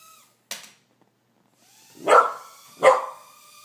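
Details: Two puppies, Karma and Skye, encountering a toy helicopter indoors bark twice in succession over a steady faint tonal whine, after a brief soft yip.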